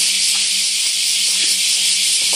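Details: Bear cicadas chorusing in summer at Daitokuji Park, Nagasaki, near big camphor trees by a shrine gate; a steady, hissing wall of buzzing with no clear pulses in this short stretch.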